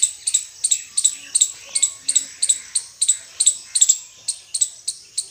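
An Indian squirrel gives a fast run of shrill, sharp chirps, about three each second.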